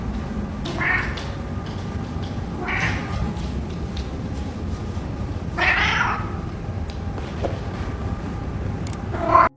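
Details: Reddington, a talkative adopted golden tabby who meows for food, pets and attention, gives four short meows spaced a few seconds apart over constant loud rumbling background noise.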